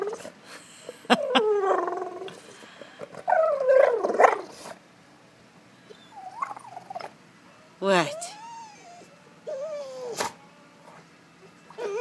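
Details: A Golden Retriever at a pool whines in wavering, high-pitched bursts because it wants its ball back from the pool.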